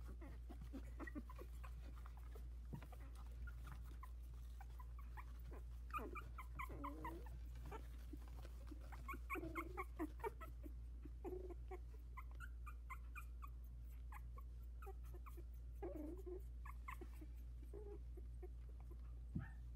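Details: Four 16-day-old Havanese puppies in a whelping box, some with eyes barely open, trying out their legs and one attempting to escape. Thin, high whimpers and squeals come in scattered bursts over a low steady hum, with soft rustling and thumps between.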